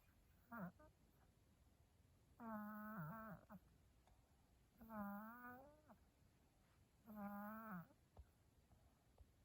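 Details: A cat snores in its sleep, each breath a humming, slightly wavering tone lasting about a second, repeating about every two and a half seconds in a quiet room with one short snort at the start.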